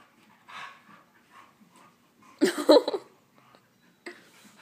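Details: Play-wrestling Husky pup of Husky, Chihuahua and Lab mix: a short, rough, gravelly growl-bark burst at mid-clip, preceded by quieter breathy snuffles and followed by a faint scuff.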